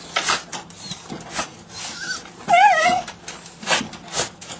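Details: Chihuahua sneezing: a run of short, sharp, hissy bursts spaced about half a second apart, with a brief whiny squeak partway through.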